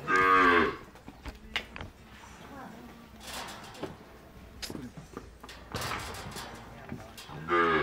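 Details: One-month-old calves on a farm in El Salvador, paraded together: a loud harmonic moo opens, quiet rustling and knocks follow, and a second moo rises near the end.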